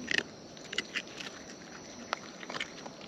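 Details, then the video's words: Wild raccoon eating up close: a few quick crunchy bites and smacking chews in short bursts, separated by brief pauses, over faint background hiss. "Wild Raccoons & ASMR Chewing Sounds"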